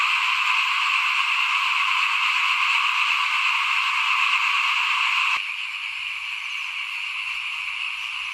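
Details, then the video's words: Small frogs calling in front of a house in 2021, during rice sowing before planting: a dense, steady chorus of rapid trilling croaks from many frogs. Partway through, the chorus abruptly drops to a quieter level and carries on. "ฟินๆกับเสียงเขียดร้องหน้าบ้าน ตอนหว่านข้าวเตรียมปลูกปี2021"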